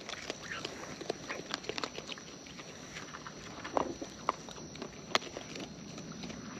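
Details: Close-up chewing from wild raccoons as they eat: scattered crisp snaps and wet clicks, some louder bites near the middle and end, over a quiet hiss and a thin constant high tone.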